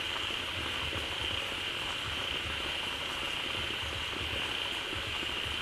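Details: Many frogs massed in a pond just filled by a waterfall, calling loudly all over it; an unbroken bubbling wall of overlapping calls with a constant high-pitched hum above low pulsing croaks.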